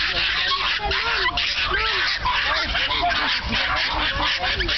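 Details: Excited Norfolk Terriers at the Dutch Norfolk Terrier Club's annual racing meeting, eager to race, make a dense chorus of rapid, high, arching yelps and yips over steady crowd noise.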